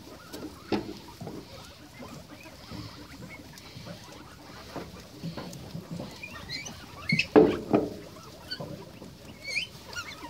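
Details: Guinea pigs at breakfast, giving short high squeaks and a few rising chirps, busiest in the second half, over steady rustling and patter from feeding and movement.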